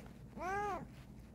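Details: Single drawn-out meow from a Bengal cat called Kokoa during an indoor investigation, a clear tonal arch rising and sinking over about half a second above faint background hum.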